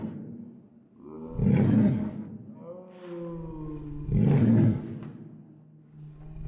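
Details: Slow-motion barking from an Airedale Terrier: two drawn-out, rough, booming bursts about three seconds apart, each trailing into a lower, sliding tonal moan.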